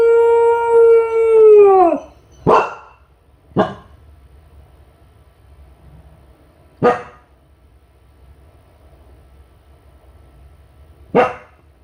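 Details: Home-alone Kai Ken Ichi, lonely and calling to the family: the steady end of a long howl dropping away, followed by four short separated barks spaced several seconds apart in a quiet room.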